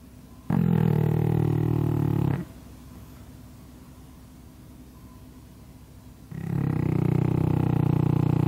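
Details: Big snores from a pug sleeping as usual under a hanger rack, two throaty, buzzing breaths about four seconds apart with near silence in between.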